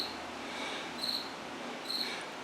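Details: Indoor cricket in a washroom producing two short, thin, high chirps nearly a second apart over steady background hum.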